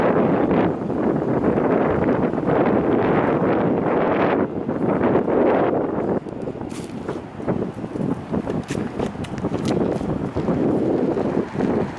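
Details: Gusty wind buffets the microphone outdoors with a low vehicle-like rumble and scattered clicks; no animal voice stands out.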